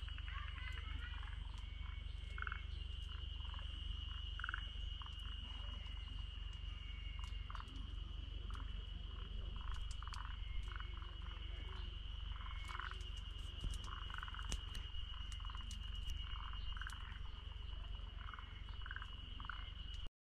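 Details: Forest green tree frogs in Togakushi, Japan, call in a chorus of short, repeated croaks over a steady drone of cicadas (Terpnosia nigricosta).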